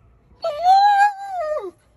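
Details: Male German Shepherd whining indoors after seeing a female dog walk past; one drawn-out tonal whine of about 1.3 seconds, holding steady with a slight rise before dropping away at the end.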